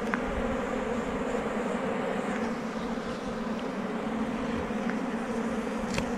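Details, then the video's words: Steady, unbroken droning of many honey bees around a rock-sheltered forest beehive being harvested for honey; the hum holds level throughout with faint clicks. "catches beehives with lots of honey under rocks"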